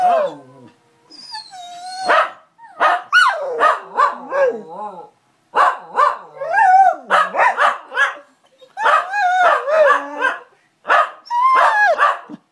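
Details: Several dogs howl together as Zara misses her owner: a busy chorus of wavering, yelping howls and whimpers in rapid overlapping bursts, pausing briefly before starting again.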